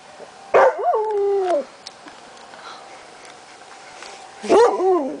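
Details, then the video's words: Dog howling at the monthly tornado sirens on July 1, 2009: two short wavering howls that dip and slide downward, separated by a few seconds, above a constant siren tone in the background. "howling at the sirens"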